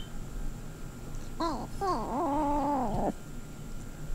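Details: Lil BUB, a female pet cat, vocalizing indoors in her unusual squonking and squirggeling style: a brief nasal note, then a longer wavering, warbling tone of about a second that dips and rises before breaking off, over quiet room hum.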